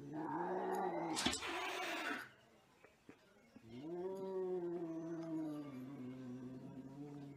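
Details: Angry cat yowling in a long drawn-out growl with a steady low harmonic tone, wavering slightly, broken by a loud noisy burst near the start and a short pause before the howl resumes.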